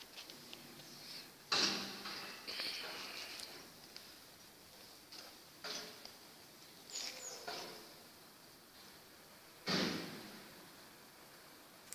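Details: Only short, broadband scraping and knocking noises, like a door or object being moved, over a quiet hiss; no animal voice stands out.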